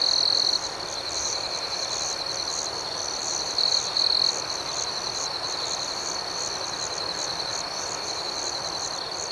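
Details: Crickets at night: a close caller opens with a trilled chirp and returns with two more short bursts later, set against an unbroken, high, ringing insect chorus.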